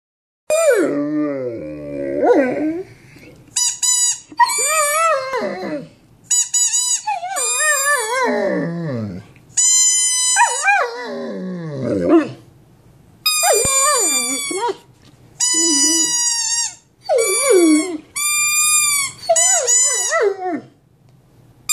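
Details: Male pet Mastiff howling, a big dog singing in a high voice: about ten bursts of wavering, squeaky howls, some sliding down into deep moaning tones, others held steady and shrill, separated by short pauses.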